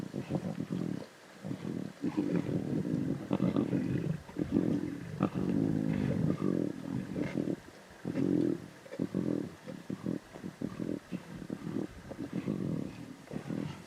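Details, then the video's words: Lion cubs at a zebra carcass in the Timbavati growling steadily: long grinding low growls rising and falling, broken by brief pauses, over a faint outdoor hiss. "The Lion Cubs Snarls and Growls Intensely At Zebra Carcass"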